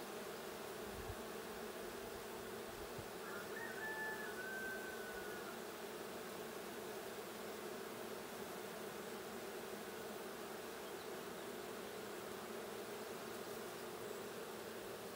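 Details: Honey bees in a blue hive during a hive check on 20 June 2022: a steady, broad droning hum runs through the whole recording, with a faint brief whistle around the middle.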